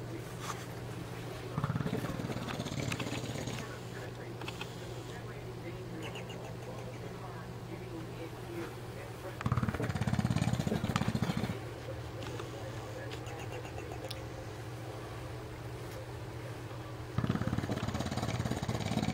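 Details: A 4-year-old male English Bulldog snores in loud, rough, rumbling breaths that come roughly every seven to eight seconds.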